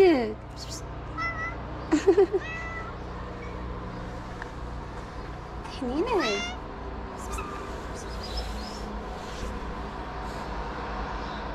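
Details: Abandoned kitten at a small Moroccan shelter during play, giving short scattered meows and brief chirping calls at irregular intervals over steady background hum and occasional voices.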